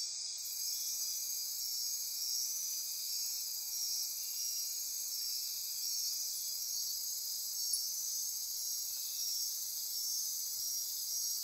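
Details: Insects chorus after dark in Osa Peninsula rainforest, Costa Rica; a constant high shimmering trill with pulsing layers, one brief sharp click midway, steady volume throughout.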